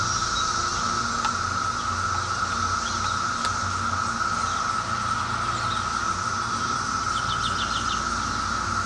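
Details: Brood X cicadas of the 2004 emergence, heard close up, fill the air with a flat, continuous droning whine. A couple of sharp clicks and a short run of quick bird notes near the end break through.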